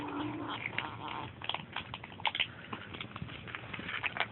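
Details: Kittens growling at each other during feeding at a bowl: a rough, noisy, continuous growl with scattered clicks and bumps, a short tonal whine at the start, and a person reacting quietly.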